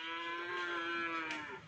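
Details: Cattle at a crowded Pakar Sakera gathering in Pamekasan where many cows took part: one sustained, steady, tonal moo with rich harmonics, holding level for under two seconds before sagging slightly at the end.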